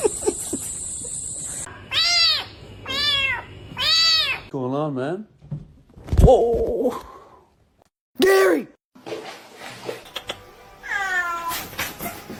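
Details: Domestic cat meowing: three evenly spaced arched meows about a second apart, then a lower warbling cry and shorter calls, with speech and music in between, indoors.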